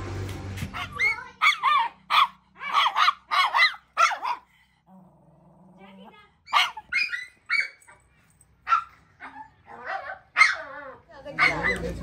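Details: Puppy on a car ride giving a burst of short, sharp barks in quick succession, then pausing before more scattered yips, with people talking and brief music nearby.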